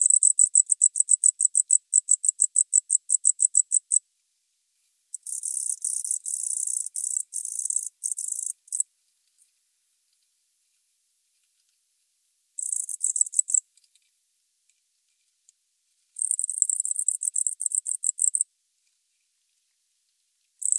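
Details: Tropical house cricket, Starnberg, Germany, 19 November 2021: rapid regular high chirps for four seconds, then longer dense buzzing trills broken by pauses, alternating with stretches of silence.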